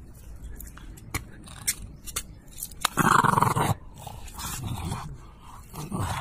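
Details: A French Bulldog growls in play as it wants to be teased and tussle over a toy. Short rough growls come in scattered bursts, with one loud sustained growl in the middle, among faint rustles and clicks.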